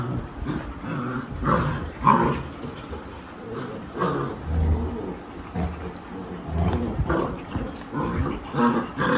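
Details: Mother Labrador Retriever named Alexa growling at her mischievous puppies to discipline them. Rough, rumbling growls alternate with short barks and high yips, arriving in uneven bursts a few seconds apart.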